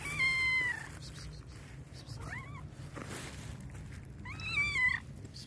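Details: Black and white cat, very hungry, letting out loud meows: a long falling cry, a short softer one, then another long wavering meow, with faint rustling behind.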